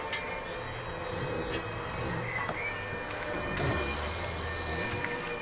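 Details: Harvey, a Vietnamese pot-bellied pig, asleep and snoring: low, droning rumbles that rise and fade in steady cycles under a faint hiss of room noise.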